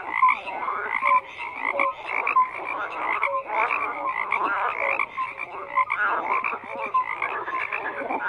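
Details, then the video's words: Frog chorus with layered grating croaks and short piping notes, dense and continuous, swelling and dipping in loudness. "FROGS CROAKING"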